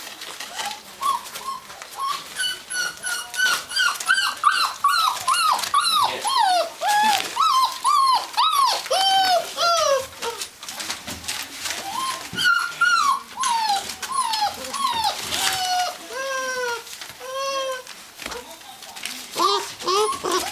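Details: Gordon Setter from the Natolińskie Wzgórza kennel, indoors; overlapping high, tonal whines that bend down at their ends come in quick, uneven bursts throughout, with scattered clicks and rustling between them.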